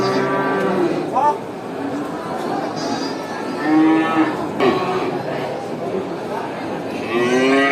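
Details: At a traditional animal market, cows give loud, rich moos, several separate calls rising and falling in pitch, with some overlapping, over a steady background murmur.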